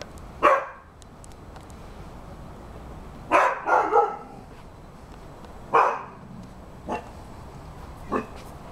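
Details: An eight-month-old Rhodesian Ridgeback dog barks at a cat and a squirrel running along the fence. Single loud barks and a quick double bark come at irregular gaps, with a few softer woofs, over steady outdoor background noise.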